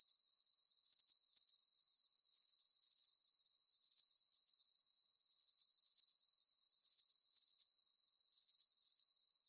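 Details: Crickets on a night with a full moon, sharp high chirps in short bursts of several pulses, bursts repeating steadily about every second, a dense shimmering background of more chirping insects, no other sounds.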